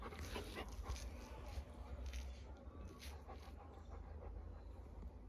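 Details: Pet Labrador Retriever lying on its owner's leg, panting in quick soft bursts with a faint whimpering edge. A steady low hum fills the room.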